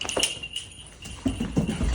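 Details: Gertrude, a tan Great Dane, and Edith, a blue one, wrestle playfully inside while it rains. After a quieter stretch, a run of low, throaty grumbles pulses rapidly for about half a second, over scuffling and background noise.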